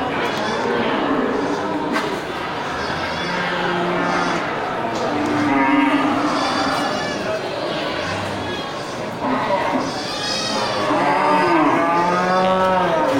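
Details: Local bulls crowding the Geulumpang Payong livestock market on 8 May 2021, several long harmonic moos rising and falling over a steady bustle of people talking and market noise.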